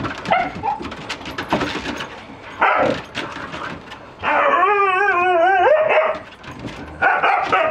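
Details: Young male Siberian Husky back with his mother, father and brother after being returned to the breeder; amid excited yips comes a long wavering howl that rises and falls, then more whining bursts.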